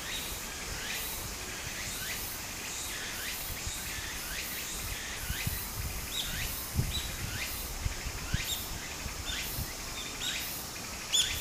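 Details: Cicadas in full summer song at a Japanese streamside, repeated buzzy rising pulses over babbling water, with a few thin high chirps near the end.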